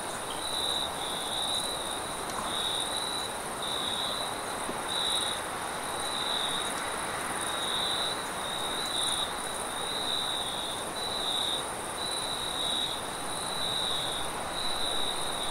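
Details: Crickets at night keep up a high, steady pulsing trill with a fainter shrill band above, half buried under a constant rushing wind.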